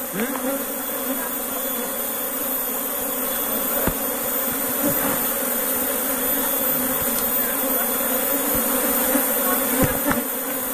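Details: Asian honey bees (Apis cerana), a new colony moved from another area, fly back into their hive; a continuous, even buzzing drone fills the recording, with occasional faint knocks.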